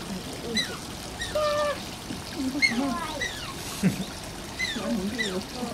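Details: At Oji Zoo, Asian small-clawed otter Shishimaru utters repeated high, wavering squeals and arched whines about once a second, mixed with lower squeaky notes, over constant flowing water.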